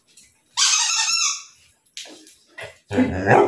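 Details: An excited Labrador Retriever gives a loud, rough bark on command during tug-of-war and speak training, with a trainer speaking nearby; the bark is cued by a subtle nose gesture, with food as reward.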